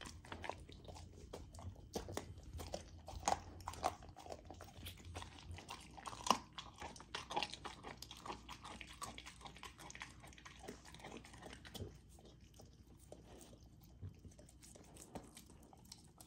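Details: Female Golden Retriever puppy eating raw food, chewing slowly on frozen pieces; crisp crunches and clicks dense in the first half, then sparser licking and smacking as the hum fades.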